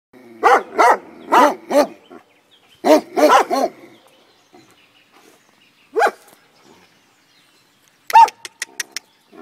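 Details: A Komondor guarding a boathouse beside the cave bath at Miskolctapolca barks in deep, rough bursts, several in quick succession, then lone barks after pauses.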